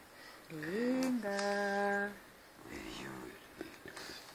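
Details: Talking albino pet cat named Husky, living in a home with another cat and two family dogs, gives a long tonal meow that rises, then holds steady for about a second, followed by softer murmurs and faint household noise.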